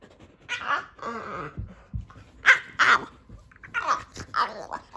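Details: Boston Terrier playing with his Keeshond brother, making silly grunting, snorting and whining sounds in irregular bursts, some with wavering pitch, amid scuffling noises.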